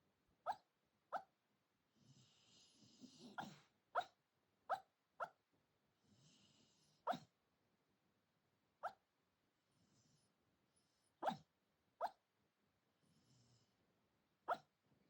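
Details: Sleeping senior Shiba Inu at 4:30 a.m., its sleep talk a series of brief, muffled sharp yips spaced about a second apart, mixed with soft wheezy breaths and snuffles in a quiet room.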